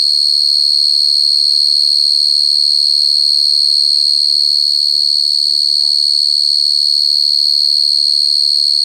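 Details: Continuous high cricket trill, sharp and steady with a ringing overtone and a quick regular pulse. Faint voice-like sounds briefly surface underneath midway through.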